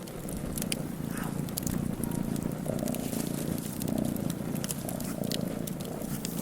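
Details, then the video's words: In front of a fireplace, a cat keeps up a steady, low, throbbing purr, and bright fire crackles snap over it throughout. "Cat purring in front a the fireplace"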